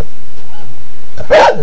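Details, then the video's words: Domestic dog barking at a printer indoors: one short, sharp bark near the end after a stretch of low hum and background noise. "Dog barking at printer!"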